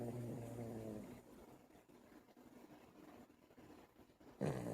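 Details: Buddy, a dog, snoring: low rumbling snore with a steady buzzing tone at the start, a quieter breathing stretch in between, then a loud snore returning near the end.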